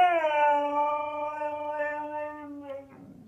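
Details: Husky Ferrari, grumpy and talking back to sneezing indoors, gives one long sustained howl-like moan, steady and slightly falling, lasting nearly three seconds before a soft rustle.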